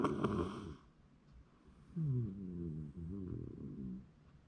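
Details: Shiba Inu snoring while asleep in January 2024, a short raspy burst followed by quieter wavering low snores rising and falling over several seconds.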